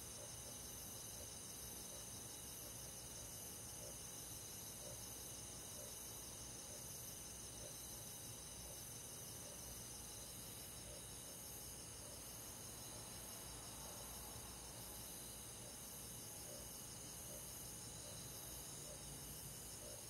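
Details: Crickets among rural forest insects on a summer night, a constant bright chorus of fast, beating trills stacked in high bands, droning evenly for the whole stretch above a faint low-frequency rumble.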